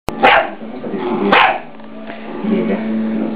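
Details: A three-month-old Scottish Terrier puppy, barking at a deer skull to protect its owners, gives two loud, harsh barks about a second apart, followed by a lingering low hum.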